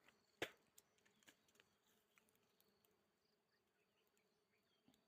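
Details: Faint continuous humming of wild honey bees at their nest in a bamboo clump, a soft even drone broken by one loud sharp click early on and a few lighter taps.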